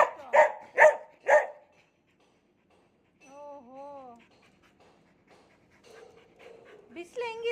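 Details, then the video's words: Cherry, a household dog taking care of kittens, gives three rapid whiny yowls, then after a gap come wavy tonal notes, soft panting-like murmurs and a last harmonic cry, alongside a woman's chatter. "ಮುದ್ದು ಚರಿಯ ಮಾತು ಕೇಳಿ cherry talking take care of kittens"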